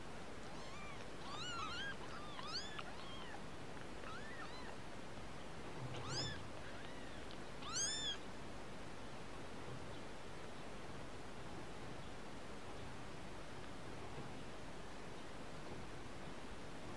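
Kittens give thin, high, rising-and-falling mews in quick overlapping bursts.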